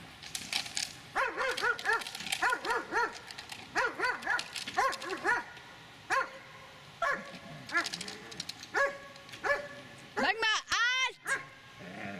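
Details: Dobermann of eight and a half years barking in short clusters of two or three, with a rising whine-like yelp near the end amid loud clattering.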